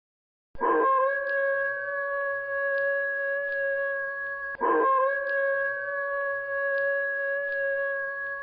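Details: Gray wolf (Canis lupus), howl.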